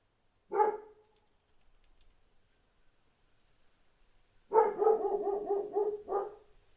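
A dog gives one sharp bark, then after a pause a quick run of harsh, pulsing barks.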